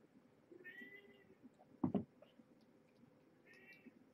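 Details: Domestic cats at Purrfect Pals at dinnertime: mother Marge, a former pregnant stray, and her five kittens born November 22nd, 2014. Two faint, high, thin mews at the start and end, with a sharp thump between them over a low indoor rumble.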